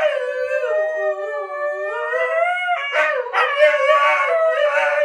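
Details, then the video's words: Duet of two huskies, one female set off by her favorite online clip, the other joining. A long smooth howl dips and climbs slowly, then a second voice cuts in with rougher, yipping, higher-pitched howling over it. "Howling huskies"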